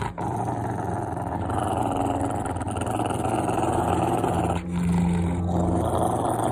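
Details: Rottweiler, a pet male dog wanting affection and not angry, growling: a continuous low rumbling growl with a steady hum, brief dips, close and unbroken throughout.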